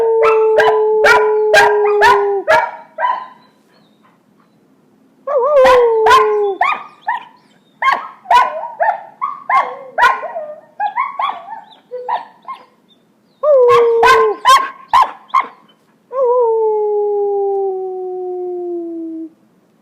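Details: Puppy brothers Jagger and Sasha practise howling, the older one teaching the younger as their owner helps: drawn-out steady howls, one sliding gently downward at the end, between bursts of rapid choppy yelps and barks.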